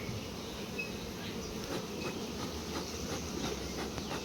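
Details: During a litchi honey harvest at a bee farm, many honey bees make a thick, even, low-pitched hum that holds steady for a few seconds, with faint ticking above it.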